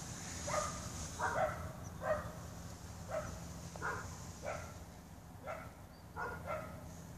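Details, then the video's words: Dog giving a string of evenly spaced barks, roughly one every second, each a short harmonic burst over a constant low hum. "Barking :("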